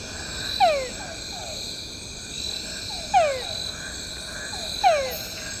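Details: A calling túngara frog, a small species, gives short, falling whines about every two seconds over a steady insect hum, recorded at night while camping in PNN Tayrona, northern Colombia.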